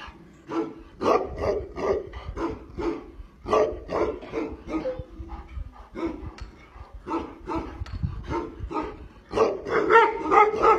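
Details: Tibetan Mastiff giving a steady series of loud, resonant barks, roughly two or three each second with brief gaps, getting louder and denser near the end.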